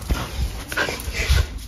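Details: Shetland Sheepdog indoors voicing its joy as dad comes home, a short high-pitched singing whine in two brief rising yelps, with low room rumble and faint background music.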